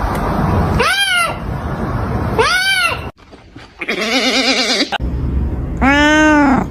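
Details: Kitten giving strange calls: three loud arched meows with rich harmonics around one second apart, one wavering and vibrato-like, between them a break of near silence and steady low background noise.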